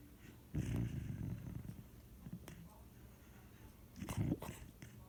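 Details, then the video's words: Sleeping puppy snoring: two rough, low rasping breaths about three and a half seconds apart, each a buzzy rumble lasting under a second, with quiet room noise between. "Puppy snoring"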